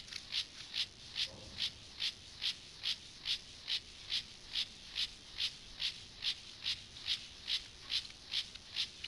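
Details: Courting male Gomphocerus sibiricus stridulating to a female: evenly spaced, crisp scratchy pulses, roughly two per second, very regular and high-pitched against a quiet background.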